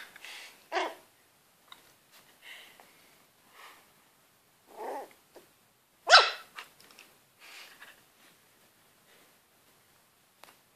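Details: Shetland Sheepdog puppy facing a cat, giving scattered short barks and yelps at uneven intervals, one sharp loud bark near the middle, with softer whines and rustling between.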